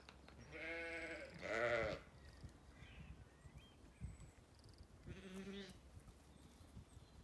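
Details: Ewes and lambs in a sunny orchard on a County Kilkenny farm, Ireland: two bleats in quick succession, the second louder, then a wavering bleat a few seconds later, with faint bird chirps in the background.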